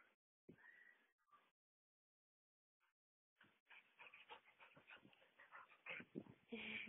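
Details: Mother dog with her puppies: high, thin whimpering and squeaky yips, brief at first, then a dense run of overlapping squeals, with faint human speech.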